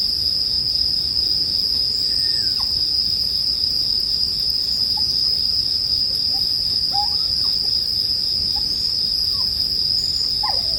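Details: Bell crickets keep up a high, even ringing tone while brief faint whistled chirps appear now and then, over quiet campfire crackling intended for sleep.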